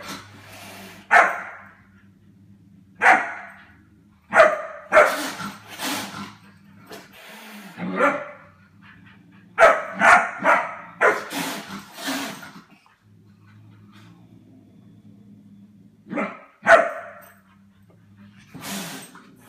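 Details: GSD puppy at play with the family cats, who put him in his place: a lively run of sharp, strongly harmonic barks, dense in the middle and sparser toward the end, among scuffling noise.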